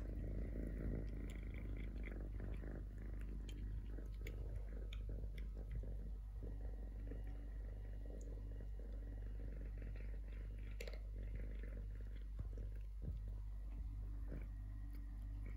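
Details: Low continuous purring from Totoshka, a young male stray cat, sustained throughout, with scattered soft clicks and rustling over the rumble in a quiet room.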